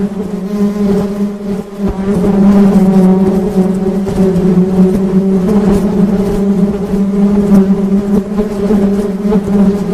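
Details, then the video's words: Honey bees droning in a sustained low buzz with harmonics, growing louder after two seconds, with rumbling background noise beneath. "Suara Tawon Madu"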